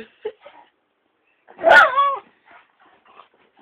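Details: Pet dog jealous of a muppet, giving one loud whining bark-howl that bends upward then falls, lasting about half a second, with faint yips and whimpers before and after.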